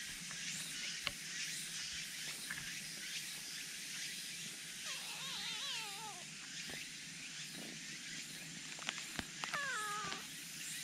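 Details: A black cat that is eager to come out and show itself gives two wavering, harmonic meows, one near the middle and a shorter one near the end, over a constant high hiss of insects and scattered faint clicks.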